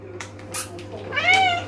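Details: A male Maine Coon cat gives a short, clear meow that rises and then falls away.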